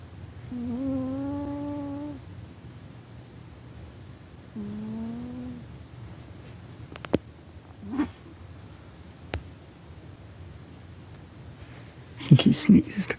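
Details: Pet cat sleeping loudly indoors, snoring with two drawn-out, steady nasal tones about a second and a half long, each slightly rising; a few clicks and short rustling noises follow later.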